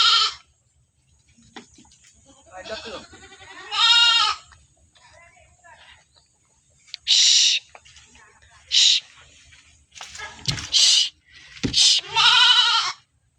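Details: Goats penned in a stall bleating in loud, harmonic, wavering bursts, about six calls over thirteen seconds, with a brief spoken remark amid the calls.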